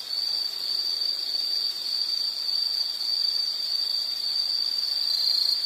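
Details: An unbroken high insect trill holds steady throughout, with a faint hiss beneath it.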